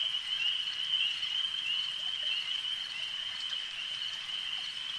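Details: A lakeside chorus of frogs: a bright, continuous high-pitched trilling, dense and unbroken, slightly louder at the start, with a few soft clicks mixed in.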